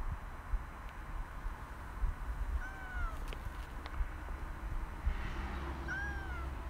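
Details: Cat met along a walking path and woken from its nap, giving two short falling meows about three seconds apart over a steady low rumble of background noise.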